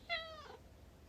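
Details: House cat talking back to its owner mid-conversation: a brief bright meow that starts loud and slides downward, fading within half a second, with soft speech nearby.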